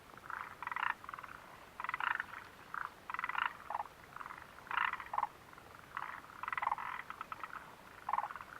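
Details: Chorus of frogs by the Mitsuishi mountain refuge hut, 29 June 2013, giving bursts of rapid rattling croaks in clusters, many voices overlapping and pausing every second or so.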